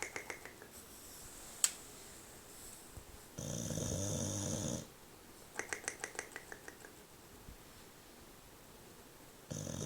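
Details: A sleeping English bulldog snores loudly indoors. There is one sharp click, then a harsh grating snore of about a second and a half, followed by a run of rapid rattling clicks. Another rough snore begins at the end.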